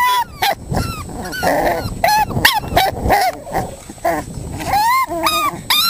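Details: Playing five-week-old Staffordshire Bull Terrier puppies: overlapping high squeaks, yips and short whines from several pups, some bending upward, amid scuffling and rustling.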